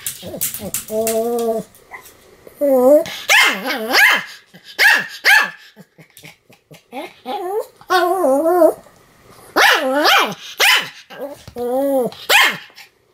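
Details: Pomeranian named Sam barking repeatedly, short sharp barks mixed with higher whining, yelping tones; bursts come in irregular clusters with brief pauses between.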